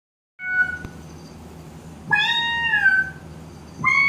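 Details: Domestic cat answering a synthesized cat sound: a steady, flat electronic tone first, then a drawn-out meow that bends upward and falls away, with another meow starting at the very end over low background hum.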